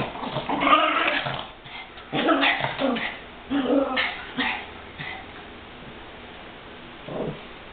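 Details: Chihuahuas including Goofy wrestling in a play fight or scuffle; short rough growling bursts in uneven clusters, fading toward the end, with a faint human voice.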